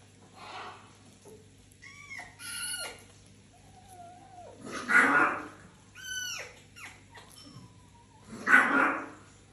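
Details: Fennec foxes living indoors in a house alongside other exotic animals; several high, arching whines with rich stacked overtones sweep up and down, alternating with three louder breathy, hissing bursts in a quiet small room.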